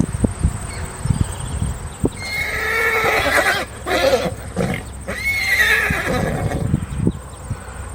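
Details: A horse whinnies in a long, quavering, harmonic neigh lasting several seconds, rising and falling, over steady hoof clops and a faint constant high hiss.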